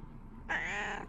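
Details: Domestic cat, female, meowing in the morning as a greeting to her owner, in a home with a Shiba Inu; a single steady, slightly drawn-out meow of about half a second, with a person saying good morning just before.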